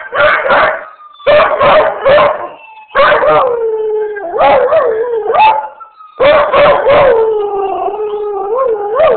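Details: Beagle/shepherd mix responding to ambulance sirens with clusters of short choppy bays that lead into drawn-out wavering howls, repeated several times, with the siren tone faintly audible underneath.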